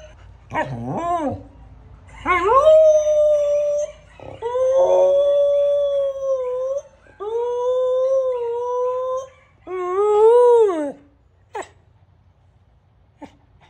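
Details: Samoyed dog singing a series of five drawn-out howls separated by short breaths, each a clear sustained tone, some wavering or sliding, the last one arching up and down, followed by quiet.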